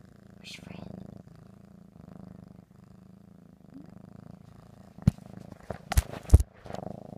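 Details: Ricky the cat purring while going crazy for ham: a steady, low rumbling purr runs through most of the recording as a person talks to him, then sharp clicks and knocks break in near the end.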